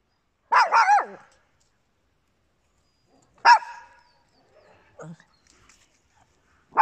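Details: Papillons and a Yorkshire Terrier, small indoor dogs: sharp high yapping barks, a double yip near the start, another single bark after a pause, a softer bark, then the onset of one more in otherwise quiet surroundings.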